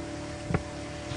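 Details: On an early-morning safari drive on June 24, 2016, an impala gives a single sharp, explosive, low-pitched snort, an alarm call, over a steady engine-like hum.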